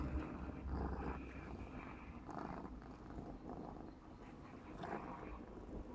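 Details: Clarence, a 4½-month-old black smoke Maine Coon kitten, purring while playing; a steady low rumble throbs continuously with faint surges of louder breathy noise every second or so.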